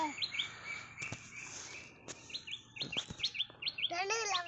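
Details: Trapped squirrel at the moment of release, uttering rapid high chirps in quick bursts, overlapping with clicks and bangs from the trap, people talking, and a loud wavering shout near the end.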